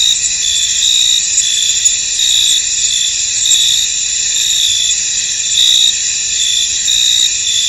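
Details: Crickets in a misty, foggy field: a dense, steady high-pitched chorus of overlapping trills, with brighter pulsed bursts standing out every second or so over a continuous shimmering hiss.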